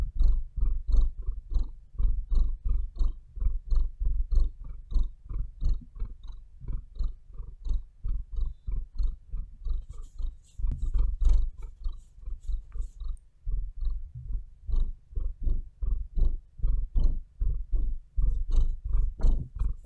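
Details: Maia, a pet cat, purring up close indoors: a deep, steady rumbling throb pulsing in quick, even beats for the whole stretch, with a few faint scratchy sounds partway through.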